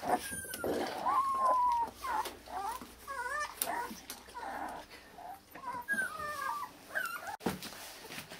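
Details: Akita puppies born 16 November in Hungary, offspring of Japanese-born Kotono Go; repeated long plaintive whines sliding downward, several pups calling in turn, with rustling and a sharp click.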